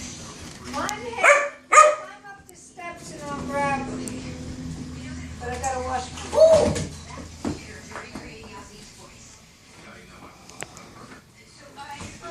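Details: Zoey, a puppy just back from the groomer, 'talking' in a string of whiny, yowling howls with wavering rising and falling tones, several drawn-out bursts spread across twelve seconds, with a person speaking between them indoors.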